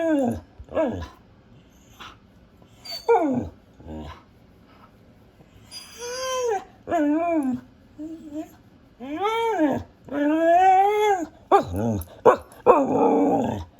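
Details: Female pet Siberian husky barking and talking: clipped barks at the start, then a stream of whining, warbling yowls that climb and dip, growing longer and louder toward the end.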